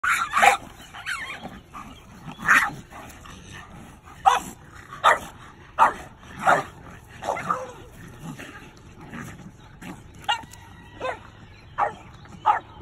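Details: Doberman and French Bulldog barking in the afternoon at a raccoon that entered their boundary, the Doberman protecting her family; loud, sharp barks come in bursts roughly every second, with some yelping tones mixed in.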